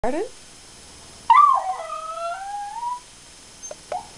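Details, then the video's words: Poppy, a female schnauzer, singing the blues: after a brief human voice, a drawn-out tonal howl that wavers and slides down then levels off for nearly two seconds, followed by two short faint yips, indoors. "Schnauzer Poppy the Singing"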